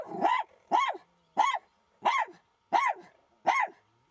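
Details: A Jack Russell Terrier on her first fox encounter barks sharply and repeatedly, about every two-thirds of a second, confronting the fox; the clash ended without a scratch.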